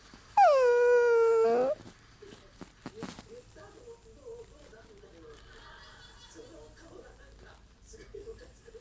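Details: Hungry Chiweenie, a Chihuahua and dachshund mix, giving a single drawn-out whining cry of over a second that starts high and levels off, followed by quiet rustling and faint sounds.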